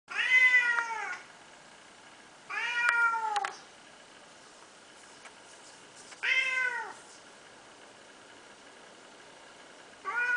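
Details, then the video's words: An unneutered male pet cat meowing indoors: four drawn-out, falling meows, each about a second long, spaced two to four seconds apart, with quiet room background between them. "Talking Cat!"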